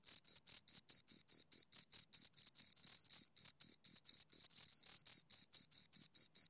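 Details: Two crickets keep up a brisk shrill chirping, short buzzy pulses a little over twice per second, a few stretched longer in the middle, clean background.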